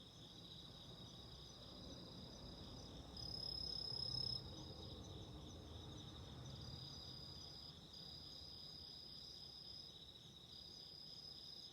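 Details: Shrill, sustained trilling of autumn insects next to a candle flame, a second higher voice briefly joining, a louder swell around the middle, and a gentle low rumbling crackle beneath.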